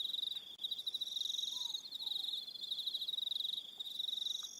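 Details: On New Zealand's Aroha Island in the evening, crickets keep up a shrill pulsing trill with rapid beat-like pulses, joined by brief higher chirping phrases and a faint distant whistle-like note.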